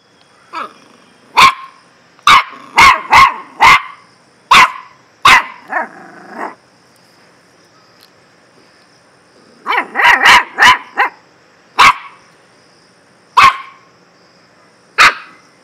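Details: Dog barking in sharp, loud single barks and quick bursts of three or four, spread across the recording with quiet gaps, and a brief lower wavering whine between barks.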